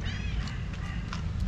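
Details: White tabby stray cat, a hungry female, calls to the people she missed: a short harmonic meow at the very start that sweeps slightly downward, followed by clicks and low hum, with Turkish talk nearby.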